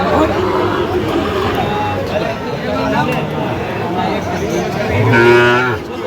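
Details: Sahiwal bull calves being bought by Dhaka farmers on 15 November: a low, drawn-out moo near the end and a fainter lowing earlier, under steady chatter and bargaining voices.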